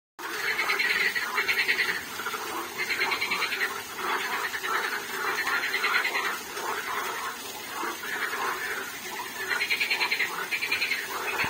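Frogs call in a rasping chorus of pulsed croaks that swell and fade in overlapping bursts.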